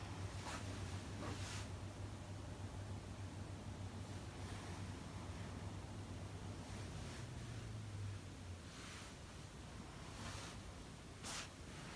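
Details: Only wind rumble, a steady low engine-like hum and bursts of handling noise are heard, with no animal calls. No animal voice rises above the noise.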